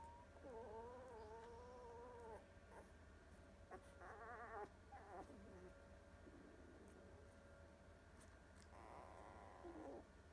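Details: Sleepy two-week-old Goldador puppies yawning, giving quiet, thin, wavering squeaky whines with a trembling quality, in three bouts: a long one early, a short burst in the middle, and another near the end, over a soft steady background hum.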